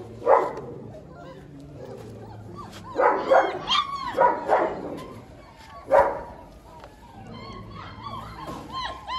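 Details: Young German Shepherd dog at an Indian kennel gives scattered short yips and barks, then a run of high, wavering whimpers near the end. Men speak quietly in the background.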